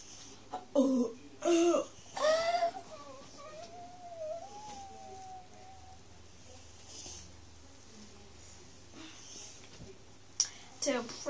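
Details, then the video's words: Pet Miniature Schnauzer puppy Monty howling at dinner, begging for broccoli indoors; three short wavering, harmonic howls, then a long thin, quavering whine that fades out, a quiet pause, and brief voices near the end. "Miniature Schnauzer Puppy Howling"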